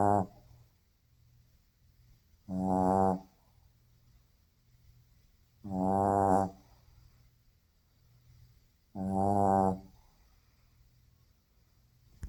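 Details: Sleeping Shih Tzu snoring loudly indoors: four harsh, rattling snores roughly every three seconds, each lasting under a second, with quiet breathing between.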